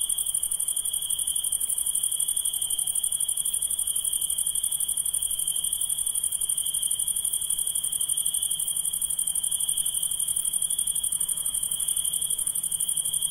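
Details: At night, insects produce a constant piercing trill together with a very high, finely pulsed buzz that stays unchanged throughout, with no other sounds.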